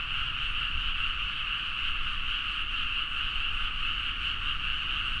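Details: Frogs calling in a loud midnight chorus from rice paddies in Nagaoka, Niigata, Japan, recorded on a Zoom H4n; a dense, continuous wall of croaking with steady bands of sound, no single caller standing out, and low rumble beneath.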